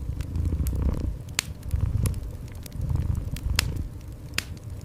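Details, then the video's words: Cat giving a gentle, low purr in repeated breathing cycles about a second long, set against a warm fireplace with frequent sharp crackles. "Cozy Fireplace with Gentle Cat Purring"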